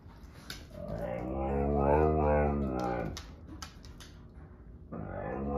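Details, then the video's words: Indoors, Sasha the male Husky-Malamute mix voices displeasure as Kat the Husky and Paco the Doberman play: one sustained, harmonic howl swells and bends in pitch for about two seconds, then fades, followed by a shorter rising yowl. "Husky, Malsky, and Doby Play and Sing"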